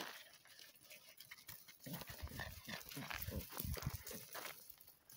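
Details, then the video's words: American Staffordshire Terrier (Amstaff) puppies at an Italian breeding kennel, with Bari, Lecce, Taranto, Foggia and Brindisi named. After a quiet start, a dense burst of low grunting and snuffling runs from about two seconds on, with rapid uneven pulses. "Cuccioli American Staffordshire Terrier Amstaff"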